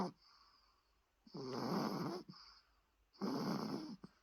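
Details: Chihuahua named Rusoe, very tired, snoring indoors: two long raspy snores, each about a second, with a faint hiss between breaths.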